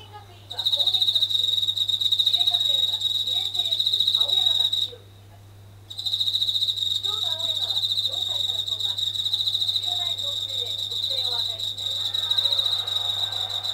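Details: Japanese katydid singing at night for several days near a kitchen ceiling indoors, said to sing louder when tap water runs. Steady, shrill, high buzzing trill with one pause of about a second midway. Faint lower warbling sounds and a low hum run underneath.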